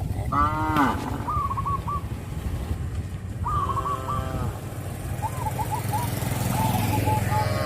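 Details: Herd of traditional village cattle, calm and tame, calling companions on the daily walk between grassy pasture and pen; two strained, rising moos in the first half, then chirping birds over a constant low rumble.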